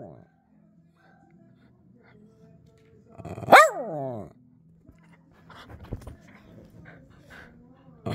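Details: A dog that had stayed silent until Bob Dylan music began playing lets out one short howl that starts high and slides downward in the middle of the clip, with quiet music, low hum and brief speech around it.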